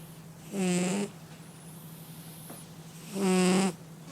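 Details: A domestic cat snores indoors, giving two drawn-out buzzy, nasal snores about half a second long and two and a half seconds apart, over a constant low background hum.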